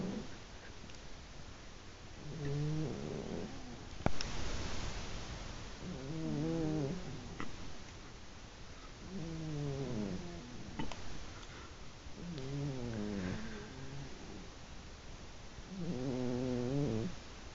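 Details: Two old pet cats aged 15-plus, a black-and-white and a brindle, sleeping side by side and snoring; low, wavering, buzzy snores rise and fall roughly every two seconds, with one brief sharp click.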